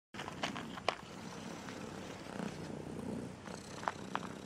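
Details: Striped cat, described as angry today because it does not like the song, giving a low, steady rumbling purr with a few sharp clicks and light rustles over it.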